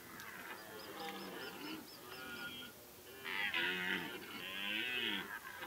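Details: Many deer roaring together at the rut in Kopački rit Nature Park, Croatia, in late summer: overlapping drawn-out, wavering harmonic bellows, one after another, building to louder roars in the second half.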